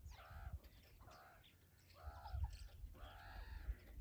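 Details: Four drawn-out, slightly falling nasal calls from playing meerkat young during wrestling and tag. Each call is clearly harmonic and spaced about a second apart, with low background rumble.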